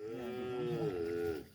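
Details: Single drawn-out moo from a tame young calf, steady and slightly wavering, held for about one and a half seconds before fading.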